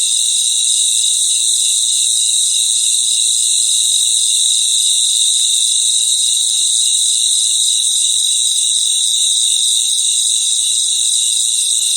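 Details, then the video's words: Night chorus of crickets, many voices merging into a continuous high ringing drone in several bright layers, level and unchanging throughout, with no other clear sounds. "Sounds of Cricket | Relaxing Sounds of Crickets"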